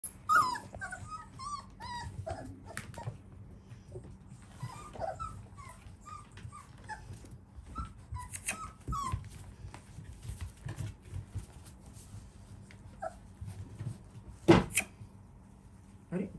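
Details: Golden Retriever puppies, sired by a JKC champion, indoors; high thin whimpers and squeaks rising and falling, scattered across the recording over low steady room hum, with a sharp loud yelp near the end.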